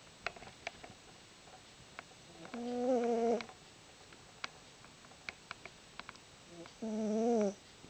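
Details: Fat female cat Izzie asleep and snoring indoors. Two loud, wavering nasal snores, each nearly a second long, come about four seconds apart, separated by soft clicks and room noise.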